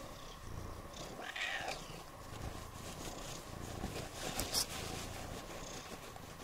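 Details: Low rhythmic purring from Siamese cats Otani and Yozora, drying off indoors on New Year's Eve after a rainy walk in the forest; soft continuous rumble with a faint click and light rustling.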